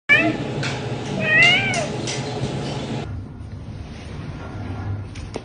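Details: Noisy domestic cat meowing because it wants to play: a short meow at the start, then a longer rising-and-falling meow with clicks around it, followed by a few seconds of quiet room hum indoors.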